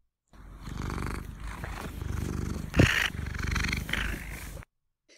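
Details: Domestic cat purring with a slightly open mouth, a louder, breathier purr that occurs when the cat is more excited or anxious; steady low rattling pulses for about four seconds, with one brief louder burst midway.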